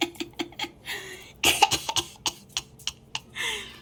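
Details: Sharp coughs, throat sounds and clattering handling noises in a small room, with no clear animal call.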